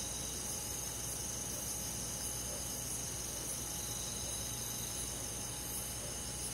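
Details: Crickets and other insects calling on a summer night in a rural forest: a steady, dense high-pitched shimmer with faint pulsed chirps repeating about four times a second, layered over a constant low hum.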